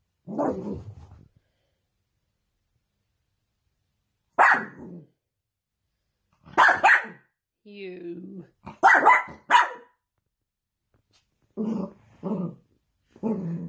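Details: Dachshund, a sausage dog kept as a pet, barking in short spaced bursts, single and doubled yaps separated by pauses of one to three seconds, with a low growling whine in the middle and a human voice nearby.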